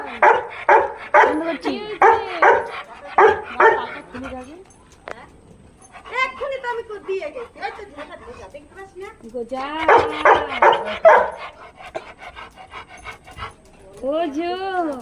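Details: Excited Labrador Retriever greeting a returning household member, opening with a quick string of barks, then high whimpering and yelping, another burst of barks, and a final rising whine, with a woman talking throughout.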